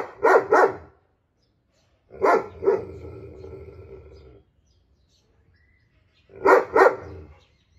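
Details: Walcott, a loud-barking German Shepherd, calls out to a canine friend. Three short volleys, each of two sharp, powerful barks. A faint drawn-out rumbling tail follows the second volley.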